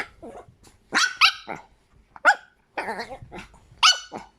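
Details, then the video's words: Chihuahua giving high, squeaky, toy-like yelping barks in short uneven bursts, some with a wavering pitch, about six calls over four seconds with brief quiet gaps between them. "Chihuahua als Quietschtier"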